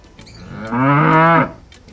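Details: Bali cattle giving one drawn-out, low, harmonic moo lasting under a second, steady in pitch before ending abruptly, with soft background music around it.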